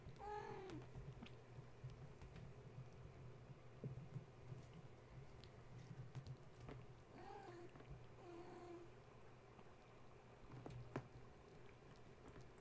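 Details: Gaia's kittens, woken at bedtime when a space heater was plugged in, now playing and climbing the walls and kennel: a high wavering meow opens, two more thin meows follow near the middle, over a steady low hum and rustling.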